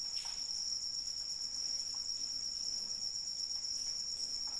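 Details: Continuous high cricket chirring, even and sustained, accompanied by intermittent splashes of rain.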